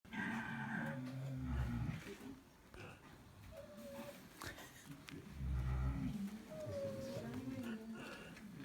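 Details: Several pigs snoring: deep, rumbling low breaths rise and fall in slow waves, with faint higher squeaky whistles scattered between them.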